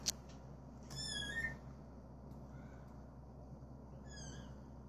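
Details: Male British Shorthair cat in cream, born 21 January 2017: one clear high meow that bends downward, a click before it and a fainter short meow near the end over a low steady hum.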